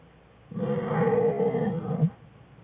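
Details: American black bear cub in a winter den with its mother and sibling, February 2013; one sustained, slightly pulsing, nasal cry lasting about one and a half seconds.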